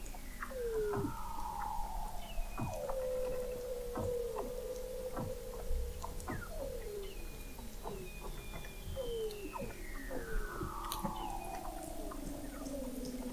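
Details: Weddell seal chorus beneath the frozen Southern Ocean in McMurdo Sound, Antarctica, captured November 2017 by an observatory 21 m below sea ice: many short downward chirps and wavering tones, then a long high whistle gliding steadily downward.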